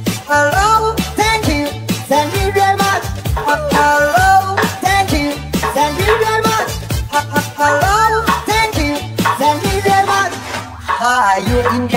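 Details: Upbeat electronic pop music with singing plays loudly throughout, with no animal sound.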